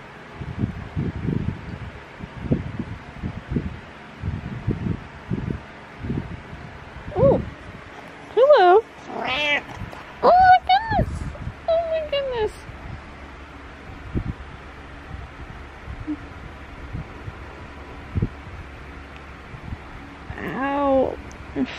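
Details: A domestic cat meowing in the morning: several loud, bending meows in a cluster midway, some rising then falling, and another at the end, over a person's talking and soft low thumps.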